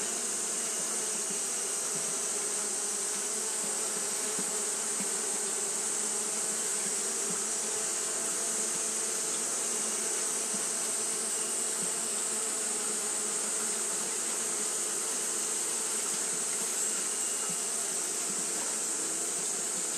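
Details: Japanese honey bees fanning without pause on a hot day: a dense, unbroken buzzing hum with layered low droning tones, under a constant bright high hiss that runs the whole twenty seconds.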